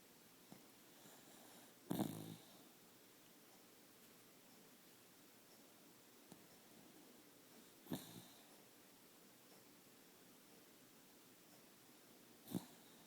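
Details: A sleeping dog snores indoors. Three harsh, snorting breaths are spaced roughly five seconds apart, with a faint soft breathing hiss in between. No other sounds are heard.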